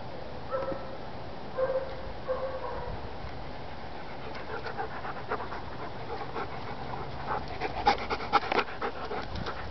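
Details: Adult German Shepherds being socialized: a few brief whines early on, then rapid rhythmic panting breaths in the second half, over a steady hiss.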